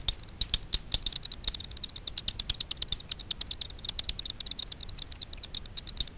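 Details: Over Miedwie lake in north-west Poland, Daubenton's bats hunt insects on the water at night; a frequency division bat detector renders their echolocation as sharp ticking clicks, loose and uneven, with brief quicker clusters.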